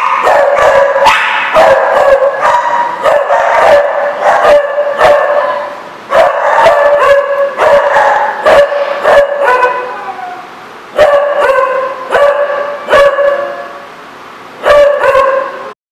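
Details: Dog at The Barking Lot, recorded 4/10/14, barking almost nonstop in rapid clusters of bright, harmonic barks, with a few short pauses and one longer lull near the end.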